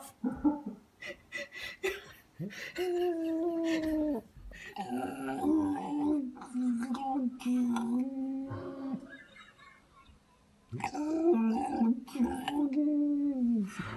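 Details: Domestic cat indoors, terrified by a person wearing a cat mask, giving long, low, wavering yowls and growling moans in drawn-out bursts, with a quieter pause midway before the eerie wailing resumes.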